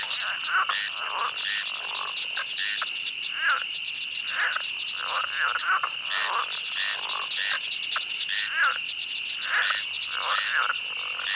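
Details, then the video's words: Frogs in a swamp croak in clustered bursts with brief gaps between them, layered over an unbroken high ringing of chirping insects. "Swamp The sound of frogs and the sound of insects"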